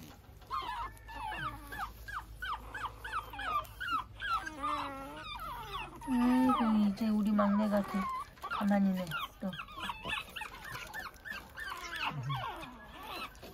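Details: A Pekingese puppy, out early in the morning, whines in high, wavering, rising-and-falling squeals, repeated in quick succession.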